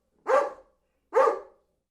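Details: Two loud single barks from a dog, about a second apart, each harsh and abrupt, then trailing off quickly into silence; nothing else audible.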